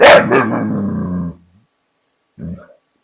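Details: American Bulldog, scared of a border collie and nervous about taking back his bottle, making funny sounds: a sharp opening yelp runs into a sustained, harmonic grumbling whine for over a second, then a brief quieter whimper after a pause.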